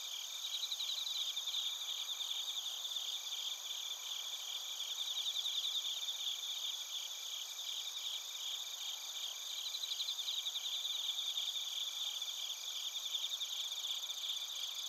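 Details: Crickets, including bell crickets, recorded at Narita, Chiba Prefecture, Japan, on a TASCAM Portacapture X8: a dense, continuous high-pitched chorus of pulsing trills and ringing chirps layered together, steady throughout with no other sounds.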